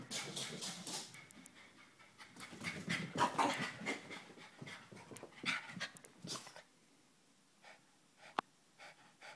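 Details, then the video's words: A hyper Chihuahua panting rapidly in quick breathy bursts for about six seconds, then quieter short breaths with a sharp click near the end. "Hyper dog"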